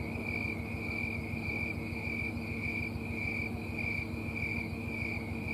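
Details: Snowy tree cricket, also called green tree cricket, calling from a small tree after dark in Colorado on September 4, 2022. High, ringing chirps repeat evenly, about two every second, over a steady low hum.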